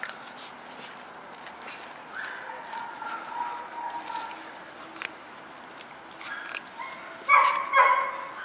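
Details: White schnauzer puppies, four of them, born 3 and 23 September, give soft wavering whines that end in a burst of loud, shrill yips and squeals, with clicks and rustling.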